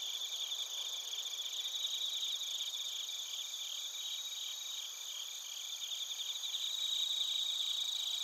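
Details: Night chorus of bell crickets and crickets in Narita, Chiba Prefecture, Japan, TASCAM Portacapture X8: bright high pulsed chirps repeating about two to three times a second over steady insect hum, one singer swelling louder near the end.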